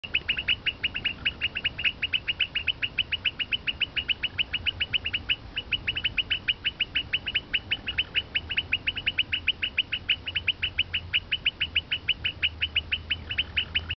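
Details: Frogs calling in Brazil: a steady run of sharp clicking pulses, about five per second and evenly spaced, continuing without pause for the whole stretch over a faint low hum.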